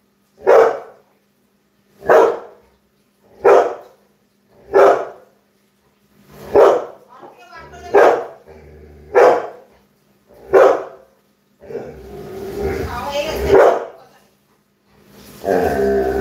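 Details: Labrador Retriever giving a run of eight sharp, evenly spaced barks roughly every one and a half seconds, followed by noisy rustling and a person's voice near the end.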